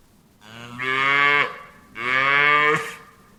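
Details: Two bright, nasal moos from cattle in quick succession, each about a second long, steady in pitch and cutting off abruptly.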